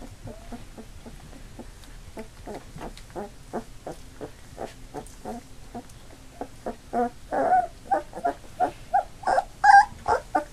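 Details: A litter of eight Labrador Retriever puppies, just under three weeks old and newly mobile: steady stream of tiny squeaks, growing louder and more insistent toward the end with repeated whiny cries.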